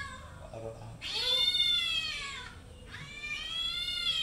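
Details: Domestic cats playing and fighting happily: after a faint start, two long, drawn-out harmonic meows, the first rising then slowly falling over about a second and a half, the second following after a short pause.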